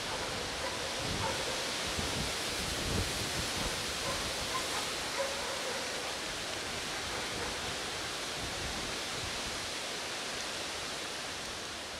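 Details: A steady broadband rush like wind or falling water fills the whole stretch, with faint rustling and no clear animal call.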